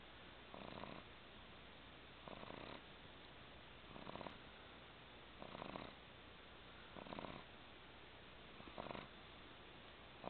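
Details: A 12-week-old pug puppy sleeps curled on a person's lap in a recliner, snoring softly in breathy bursts about every one and a half seconds over a steady background hiss.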